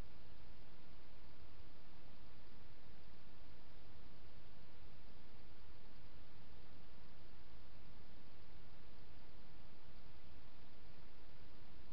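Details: Only a steady, even hiss of background noise, with no animal calls.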